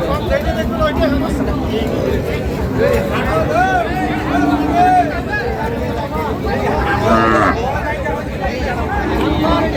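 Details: Milk cows of Sahiwal, Sindhi and local breeds, with calves, at Ambari cattle market in Parbatipur, Dinajpur, Bangladesh, on 1 August 2025: low drawn-out moos rising above steady crowd chatter and bargaining voices.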